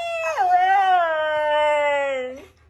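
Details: A pet dog indoors gives one long, drawn-out whine of about two seconds. It starts higher, slides down, and then holds a steady, tonal pitch before cutting off abruptly. A person talks just before and after.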